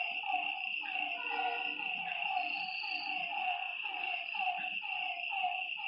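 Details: Frogs calling at night by a lake: short, harmonically rich croaks repeated roughly once a second, overlapping from several callers, set against a steady high-pitched insect drone.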